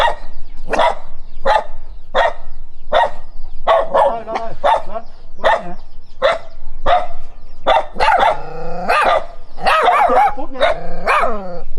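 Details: Dog barking at a stranger while running, a steady series of sharp barks about every 0.7 seconds, later turning into quicker, more tonal yelping barks toward the end.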